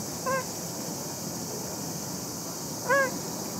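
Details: Shin-chan, a tabby cat, back home in good health after sheltering from severe heat at a place prepared by supporters: two short, clear meows about two and a half seconds apart over a steady background hiss.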